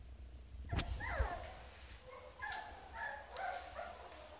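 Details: Young Rottweilers awaiting their owners let out faint high whimpers that slide downward, then several short yips and whines, over steady low rumbling noise.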